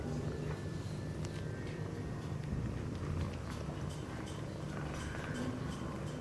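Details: Sphynx cat mother with her kittens playing in their nest indoors: a steady low rumbling purr runs throughout, with faint rustling and small clicks over it.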